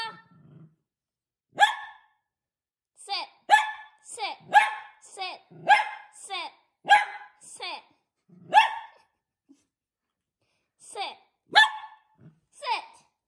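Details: Miniature Poodle at play during a game with its owners; a run of short sharp barks, about a dozen in irregular bursts with brief pauses, a pause near the middle, and a person's voice at the start.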